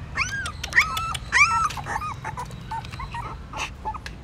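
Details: Newborn puppies trying to suckle their mother's milk at a pagoda stupa in Siem Reap, Cambodia; a few sharp curving squeaks and whines early on, then softer scattered whimpers over low rumbling background.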